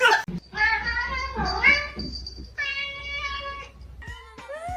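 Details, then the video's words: Kitten meowing: a long, drawn-out meow that dips and rises in pitch, then a steadier second meow and a short, rising third one. A person speaks nearby. "Kitten meowing"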